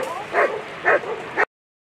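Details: Barking German Shepherd, Zeh Amica der dunkle Schatten, during World Championship agility: three loud, short barks about half a second apart over a murmuring background, ending abruptly in silence.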